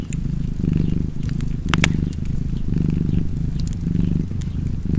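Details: Continuous deep cat purr, pulsing with each breath in and out at about one cycle per second, while a wood fire snaps and crackles in the background.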